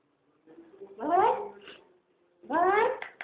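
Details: Boboy, a three-month-old male Persian kitten, gives two drawn-out meows, each about a second long, rising then falling in pitch with rich harmonics and a short pause between them, in a quiet room.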